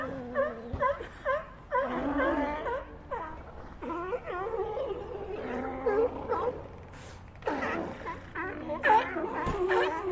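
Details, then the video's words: Overlapping bleats and wailing moans from a group of sea lions, bursts of quavering harmonic calls rising and falling in waves with short lulls between them. "Ambient Sea Lions"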